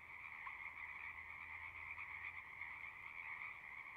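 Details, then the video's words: Many frogs singing together outdoors, a ceaseless high trilling chorus with a lower accompanying band, steady in loudness, with a faint low hum beneath. "One hour of singing frogs."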